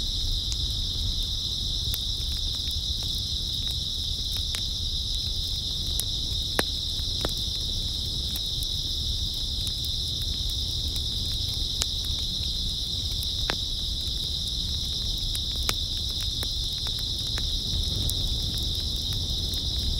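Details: Grass insects chirping through an early autumn night, their high steady drone filling all twenty seconds without variation, punctuated by frequent small clicks and a quiet low-frequency rumble.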